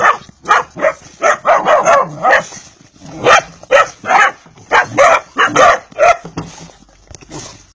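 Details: A Vizsla pedigree puppy calls in quick, irregular bursts of sharp high yips and small barks, some drawn out into whiny notes, in clusters with brief pauses: Vizsla.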